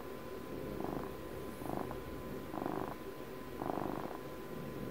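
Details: Pet cat purring close to the microphone, four strong buzzing rumbles about a second apart, each broad and sustained, separated by quieter inhalations, with a faint constant hum.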